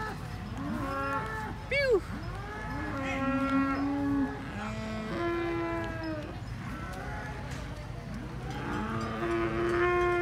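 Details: Cattle at a cattle contest in Banyuwangi, Indonesia, one animal raging: repeated drawn-out harmonic moos, some steady and some bending down at the end, with a sharp rising squeal near the start and crowd voices and chatter behind.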